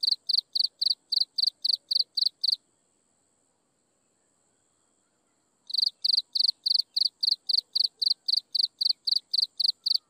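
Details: Insects chirping at sunset: a bright, high chirp pulsed about four times a second, stopping for some three seconds before resuming in a steady run; a faint high hiss lingers through the gap.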